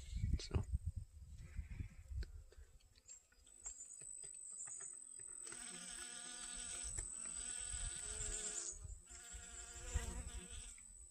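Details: Garden honey bees gathering sunflower pollen on August 25th 2021. The first half is mostly low rumbling wind and handling noise; then a close, strong, even drone swells in and continues to the end.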